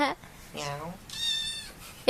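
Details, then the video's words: Kitten giving a high, thin, steady meow of about half a second, preceded by a lower, falling meow in a human voice and followed by a sharp click. "Kitten Meowing"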